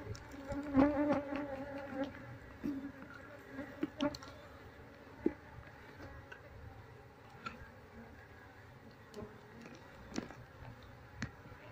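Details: Honey bees being moved from a wild colony into a cardboard box after the queen is found; steady low droning hum of many bees with scattered clicks and handling knocks, brief voices nearby.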